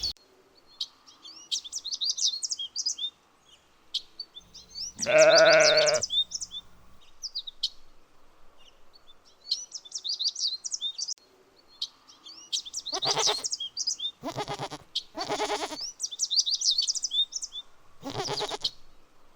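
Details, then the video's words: Lambs grazing in a cool green forest. One loud, wavering bleat rises at about five seconds, and shorter rough bursts follow later. Bright bird chirps repeat throughout, with quiet gaps between. "Sounds of sheep bleating"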